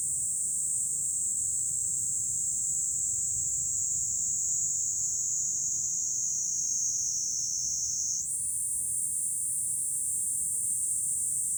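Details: Cicadas in July on a hilltop overlooking Fukuoka City, Japan: a dense, steady high-pitched hiss that holds unbroken throughout, shifting slightly higher in pitch near the end, with only a faint low rumble beneath.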